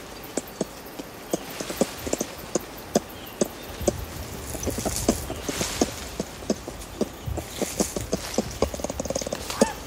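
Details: Adult ring-tailed lemurs feeding in trees at Berenty Reserve keep in contact with clucking calls, heard close: rapid, overlapping knocking clucks from several animals, with rustling foliage and soft hiss between them.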